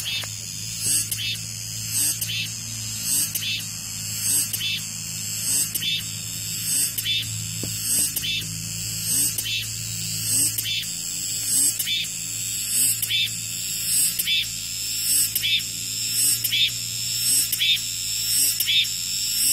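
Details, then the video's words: Cicadas singing in a dense, high, hissing chorus, with pulsing surges about once a second over a steady shimmering drone; a low electrical hum runs underneath. "REAL SOUND 매미소리"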